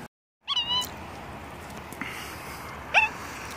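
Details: Female capuchin monkey at home on her third birthday, October 7, dressed up with a cake and candle on a summer-warm day; two brief high squeaky calls, one with a quick downward slur, over quiet room tone.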